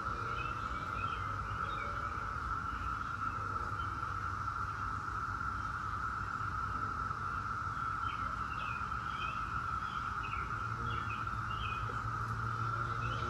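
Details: Periodical cicadas of Brood X, the 17-year brood, produce a constant droning chorus that never pauses, with quick bird chirps repeated in the upper range and a steady low rumble beneath.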